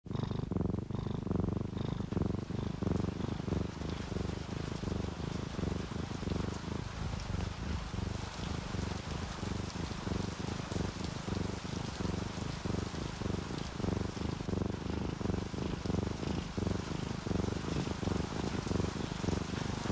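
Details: Relaxed domestic cats, an orange tabby and a calico, sleeping and purring: a steady low rumbling purr with fast regular pulses, under a constant broadband hiss throughout.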